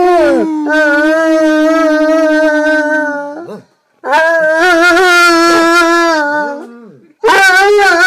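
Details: Basset hound named Phil howling along to his own recording, indoors in a small room: long sustained rich harmonic howls, steady then wavering, in three drawn-out bursts separated by short silences.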